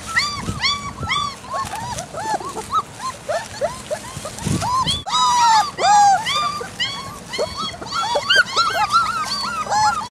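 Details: Young Great Dane puppies on their second outing, exploring leaves and straw laid over a vegetable bed for winter, several crying: rapid overlapping high whimpers and squeals, arched and wavering, almost continuous, with a brief rustling burst midway.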